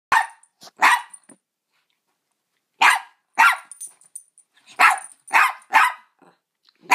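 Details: Double dapple Dachshund, born blind and deaf, barking on first meeting a cat: sharp broadband barks in uneven bursts, two or three close together, with pauses of about a second between groups.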